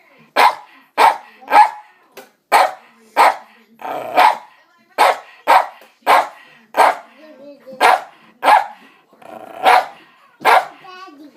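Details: Domestic dog barking at the table, something it now does every mealtime. About fifteen short, forceful barks follow in quick succession, with a brief voice heard between them and faint rustling indoors.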